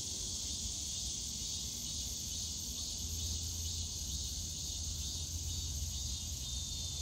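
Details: Cicadas on a summer day in the Yongsan Family Park bamboo forest give a constant high, rasping wash of sound, while a heavier low rumble of park and traffic noise swells underneath.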